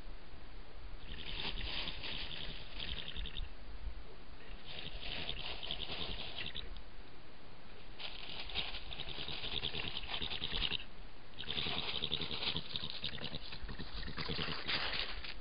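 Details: European badger (Meles meles) giving its characteristic call: harsh, scratchy chattering in bursts of about two to three seconds, four bouts separated by brief pauses, steady low rumble beneath.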